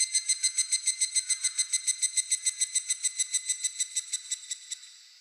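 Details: In Japan, a cicada delivers a regular series of sharp, ringing buzzy pulses, about three and a half per second, which fade gradually toward the close.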